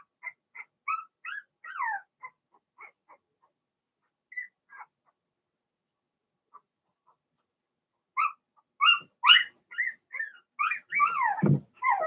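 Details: Young Blenheim Cavalier King Charles Spaniel puppies, Remy's first litter of six, in an indoor pen during potty training: scattered thin squeaks, a quiet pause, then a denser run of rising and falling whines and yelps.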